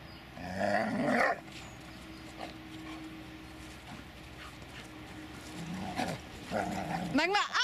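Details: Two rough barks from Dobermann Magmar Von Der Burgstätte, one near the start and another about five seconds later, separated by a low steady hum, with a brief high voice-like sound at the end.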